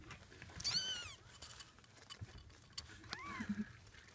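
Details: Munchkin kitten, eight days old, giving two brief, thin, high-pitched mews that arch up and then down in pitch, the second softer and lower, over a quiet indoor background with faint rustling.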